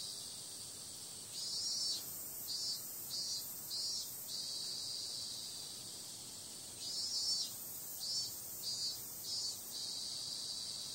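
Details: Cicadas at night in summer, heard as a constant piercing buzz with two clusters of sharper rhythmic pulses, five or six each, separated by several seconds of steady droning.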